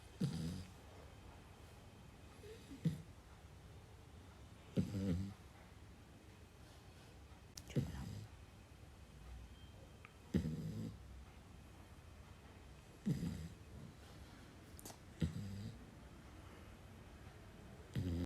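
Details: Two-month-old Labrador Retriever puppy snoring while asleep: low rasping breath bursts repeat every two to three seconds, with faint clicks between them indoors.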